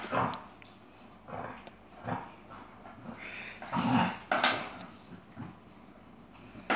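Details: Chihuahua named Yogi in a scuffle with an Airedale, giving rough, noisy growling barks in short bursts about once a second, with a louder flurry near four seconds over a hissy background.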